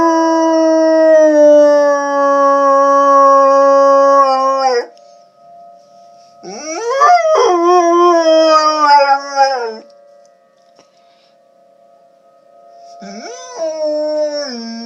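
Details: Tornado sirens sound behind a howling pet dog: one long even howl, then a wavering howl that rises sharply and wobbles before sinking, and a final rising howl after a quiet stretch carried by the steady siren.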